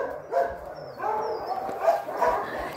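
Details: Shelter dog at an animal shelter in Kyiv Oblast, Ukraine, calling to play: short yipping barks with whiny tonal edges, spaced irregularly, against a steady background hum.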